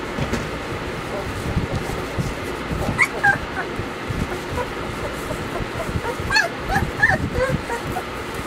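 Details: Weimaraner puppies Bailey, Hailey and Jenny giving a few short, thin whimpering squeals around three seconds in, then a cluster of rising whines near the end, over a steady rumbling background.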